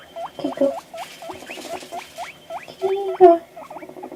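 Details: Squeaky hooked chirps from Panda, a pet guinea pig reacting to played media, repeated quickly in an uneven series, with a few louder lower tonal squeaks and a sharp knock near the end.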